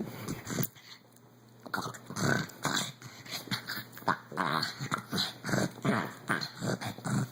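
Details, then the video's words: An elderly pug of 14 years play-fighting, letting out rapid rough growls, snorts and whimpering grunts, choppy and irregular, several per second after a brief quiet start, recorded indoors. "making crazy noises!!!"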